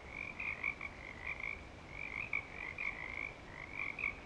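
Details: Breeding-season frogs at Clearwater Commons form a steady chorus of short trilled bursts, about one every second, overlapping into a near-continuous high buzz.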